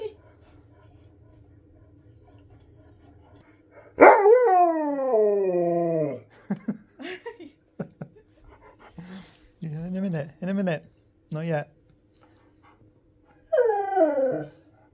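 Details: Husky pestering its owner for more treats: a long harmonic howl-like moan falling over two seconds, then a run of short yowling vocal bursts and a final wavering howl, with the owner's voice and music nearby.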